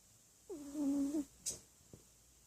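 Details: Domestic cat asleep and snoring: one drawn-out nasal whistle that rises briefly, holds steady for under a second, then drops away. A soft tap and a short rustle follow in a quiet indoor space.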